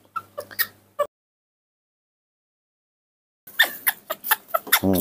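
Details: Spoiled baby monkey named Nomi throwing a tantrum while drinking milk in the morning, kept at home: short shrill squeaky cries in a quick burst, a pause of silence, then a rapid run of harsh, high cries, with a woman's voice nearby.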